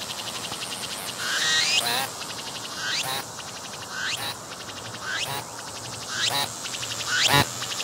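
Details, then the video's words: Singing cicada with transparent wings, filmed close-up on a tree trunk using a 180-degree 3D VR camera, its belly moving as it calls: a series of loud, ringing, rising harmonic pulses about once a second over a steady background hiss. "鳴いているセミに接近して撮影してみた！I approached the cicadas that were singing and took a picture!"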